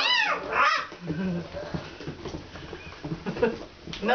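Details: Alaskan Malamute puppies from Kalamals Kennel on their first time outside, giving high, wavering whimpers and short rising whines that bend up and down, with human voices talking over them.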